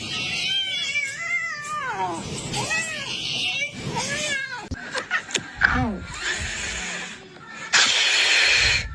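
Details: Kitten meowing: several long, drawn-out meows rising then falling in pitch fill the first half, followed by short chirps, clicks and a loud hissy burst of noise.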